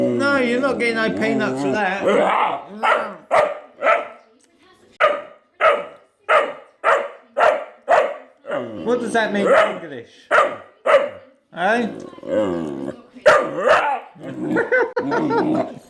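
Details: Male Vizsla puppy Jett, in his first few weeks, alternates wavering, whining howls with bursts of short, evenly spaced barks, around a dozen in quick succession, while a person speaks over the opening seconds.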